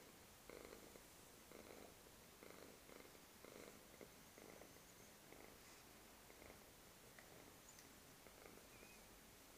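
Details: Black male domestic cat purring while cuddled on a lap; a soft, steady, low rumbling purr in short pulsing phrases that rise and fall with each breath, about once a second, close and quiet.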